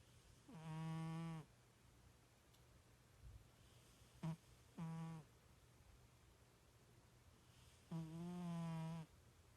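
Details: Sleeping house cat, described as snoring like a little pig, produces three droning, reedy snores about a second long. A short, abrupt snort falls between the first two. A low background hum runs throughout.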